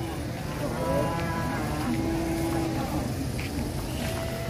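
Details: Cattle, part of a lot of 25 large head bought by a buyer from Purwokerto, being loaded onto a heavy truck: a drawn-out, level lowing moo rises out of steady engine rumble, with men talking in Javanese nearby.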